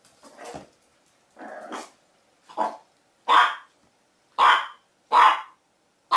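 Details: Puppy giving a series of loud, rough barks about once a second, growing louder, with a low growl between early barks; quiet indoor background.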